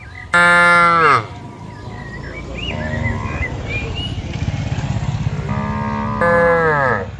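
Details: ['Free-grazing cattle in a broad open garden: a loud, full moo opens, followed by a steady low rumbling background and thin bird twitters, then a second long moo that slides slightly downward.']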